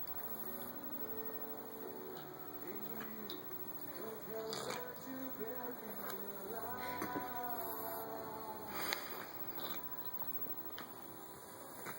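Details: Background music plays throughout, with soft wet licking and slurping noises underneath. No animal calls or vocal sounds can be picked out.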